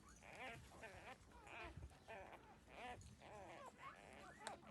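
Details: While breastfeeding from their mother, puppies aged thirteen days whine in rising-and-falling, slightly bleating squeals, several per second, against a murmur of low rustling.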